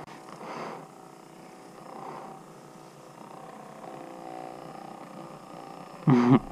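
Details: A cat named Amy purring while being massaged with a massage gun; a low, steady rumbling purr runs throughout, with a woman's voice speaking softly at the end.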